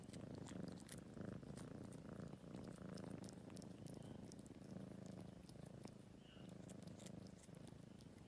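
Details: Grooming in Greenhouse Cafe, Tagaytay, an elderly adopted tomcat who was once a stray purrs loudly and continuously, the deep rumble pulsing in slow breathing cycles under faint clicks and rustles.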